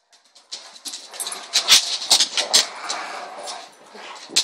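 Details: Bruno, a dog playing tug of war, gives a rough, noisy, rasping growl that swells and fades in uneven bursts over several seconds, mixed with scuffling and rustling sounds.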